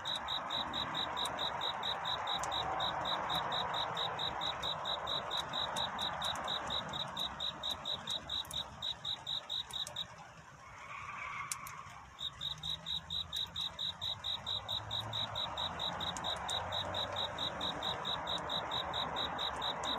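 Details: Cricket seeking a mate at night near dawn, chirping high and regular about twice per second for ten seconds, then falling silent while a brief softer whine rises, with faint clicks and hiss throughout.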